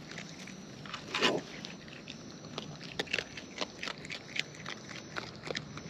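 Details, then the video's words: Wild raccoon eating near the recorder: a brief loud crunch early on, then a steady run of small crisp bites and clicks every fraction of a second over faint background noise. "Wild Raccoons & ASMR Chewing Sounds"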